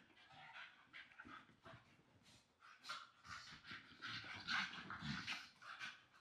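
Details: English Staffordshire Bull Terrier pups playing and wrestling together on a new blanket; rapid, irregular breathy panting about twice a second, mixed with rustling cloth and soft scuffling sounds.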